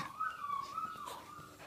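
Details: A 47-day-old female pup whines in one long steady tone that rises slightly and dips, then trails off, indoors with little other sound.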